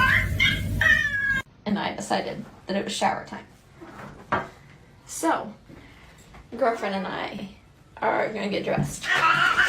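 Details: Pet cat giving short harmonic meows with people talking over much of the recording, ending in a louder, drawn-out meow.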